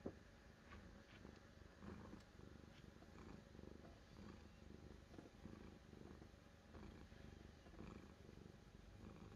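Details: A cat's continuous purr, deep and throbbing, pulsing evenly throughout with soft breathing cycles and a quiet background.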